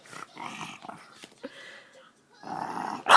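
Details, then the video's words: One-year-old pet French bulldog making funny sounds while trying to lick a person's face: rough, growly grunts and snorty bursts in uneven bouts, a brief pause, then a longer grumbling growl ending in a sharp, loud yelp-like sound. "our 1yr old frenchie making funny sounds"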